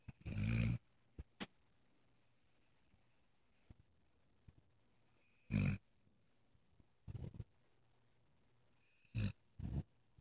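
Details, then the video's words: A sleeping dog snores in short, rough, low bursts, each lasting under a second, with gaps of about two to four seconds between breaths; the room is otherwise quiet apart from faint clicks. "My snoring dog"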